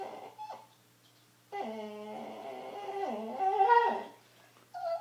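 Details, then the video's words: Indoor pet dog producing weird noises: a long, tonal whining howl that holds steady, dips, rises and wavers for about three seconds, preceded by a short yip and ending with another brief whine. "The many noises of wrigley"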